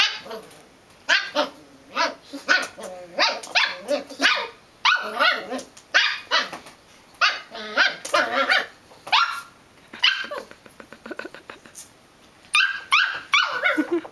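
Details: Belgian Malinois puppy barking almost continuously, rapid sharp barks in dense runs with a brief rough growly stretch, only short pauses throughout.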